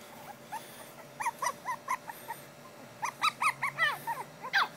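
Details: Two female Pekingese puppies give a rapid series of high, short whimpers and squeaky yelps.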